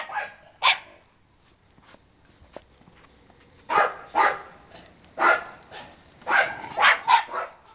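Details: Female Bernese Mountain Dog puppy aged 44 days, born July 12; scattered sharp high-pitched yips and puppy barks, some clustered in quick pairs, with soft rustling between.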